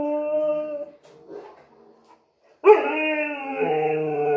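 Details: Pet husky reacting to a new vacuum cleaner indoors: a sustained howl fades, a soft pause with faint murmuring follows, then a loud rich howl bursts in and holds, wavering slightly at the end.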